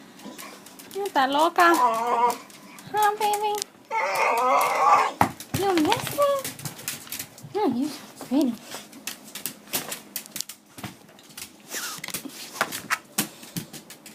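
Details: Female dog greeting someone arriving home, hyperactive with excitement and likely carrying a toy or bone in her mouth; wavering, warbling whines over the first five seconds, then sharp tapping clicks and a few shorter, bending moans.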